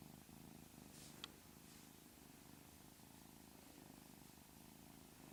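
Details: Pet cat purring softly in a steady, low continuous hum, broken once by a single sharp click.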